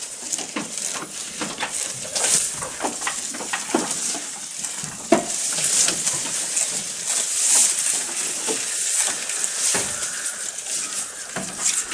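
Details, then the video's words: Close recording of a goat feeding. Dense, dry crunching and rustling clicks, uneven in timing, with a sharper snap near the middle and constant high hiss behind. "Goat Eating Sound"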